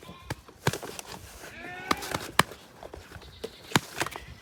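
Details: Black goat kids at a goat farm, recorded 24 April 2022: a wavering, harmonic-rich bleat of about half a second bends through the middle of the clip, surrounded by sharp knocks and clattering, hoof-like thumps.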